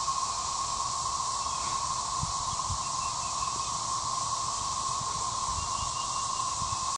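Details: Periodical cicadas emerging at Gillam Park in Little Rock, Arkansas: a steady, unbroken droning chorus with a sustained whine in the middle range, unchanging throughout, with faint low rumbles and light rustling underneath.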